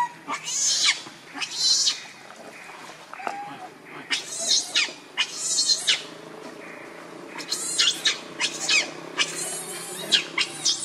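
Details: Screeching from the monkey Rainbow, furious while shielding Lucie from Kachoy: scattered harsh high screams, a quiet gap with low murmuring, then a faster cluster of short piercing shrieks.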